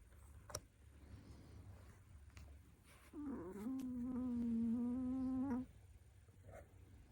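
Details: Lund, a female Pomeranian about twenty in human years, snores while sleeping beside her owner's bed indoors. One low, nasal, humming exhale swoops up and then holds steady for about two and a half seconds in a quiet room.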